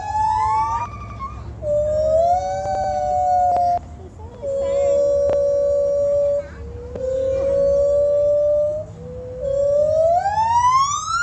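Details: Monkeys from Sumatra, Indonesia, at Santa Ana Zoo give long, siren-like tonal hoots, each held about two seconds, some sliding upward.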